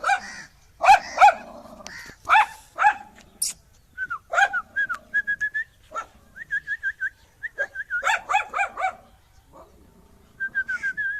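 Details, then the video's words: Angry dog giving sharp barks mixed with high, thin whining yelps repeated in short runs, with bursts of barking returning near the end over a quiet background. "Angry Dog Barking Sound"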